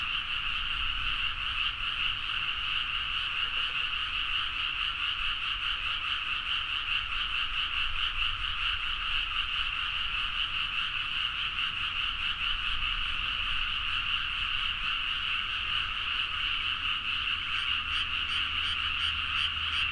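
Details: Dense chorus of many frogs calling at midnight in rice paddies at Nagaoka, Niigata, Japan, recorded on a Zoom H4n; a continuous overlapping wall of rapid croaks with two bright bands, steady throughout, with faint low rumble underneath.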